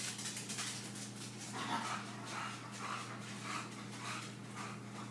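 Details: English Bulldog Billie, a female pet indoors, excited during her daily sponge cleaning routine; soft whimpering, panting pulses repeat roughly every half second, each a brief nasal whine with breathy noise between, in a small quiet room.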